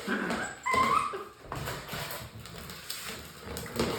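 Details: A six-week-old English Springer Spaniel puppy gives a thin, high whine that rises briefly, with a person talking nearby.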